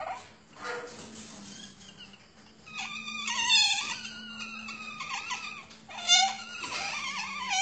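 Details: Asian palm civet kept on a breeding farm: thin, wavering squeals and whines that slide up and down, in several drawn-out bouts with short gaps, over a low steady hum.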